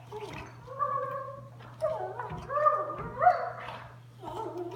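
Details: Sunday, a small Doberman, plays with her Mastiff mix sister indoors; drawn-out whiny, warbling vocal bursts rise and fall in pitch across several phrases, with a steady low hum beneath.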